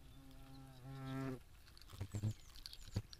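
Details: European hornet attacking wasps: a low droning buzz swells for about half a second and then cuts off, followed by soft knocks and faint chirping birds in the background.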